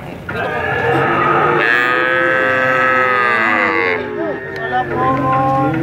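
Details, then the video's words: Cattle mooing very long, one sustained, strained call holding steady for over two seconds after a rougher start, then breaking into lower wavering moos. "Jangan Heran Dengar Suara Sapi Sangat Panjang Sekali"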